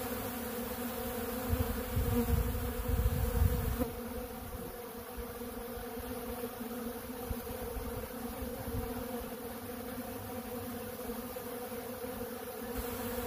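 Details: Swarm of honeybees at a big blue feeder taking ultra bee pollen, producing an even layered drone; a louder low rumbling patch near the start, then a steadier hum.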